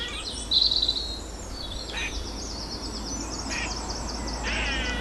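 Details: An eastern grey squirrel in a tree, wagging its tail and seemingly alarmed or threatened by something other than the filmer, gives high, thin squeaks, then short raspy bursts with faint quick chatter.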